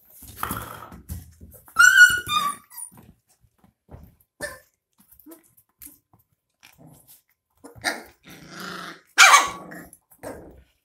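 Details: Twenty-two-day-old puppies being bottle-fed milk give a high, wavering whine with bright overtones, then a few faint grunts and a harsh yelping squeal near the end, between quiet stretches.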